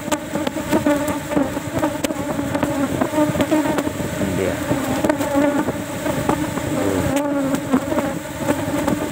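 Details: Many Asian honey bees in a cultivation box during a honey harvest, only one frame taken since honey is scarce and it is not yet flowering season; a dense, steady droning hum with sharp knocks and clicks from handling.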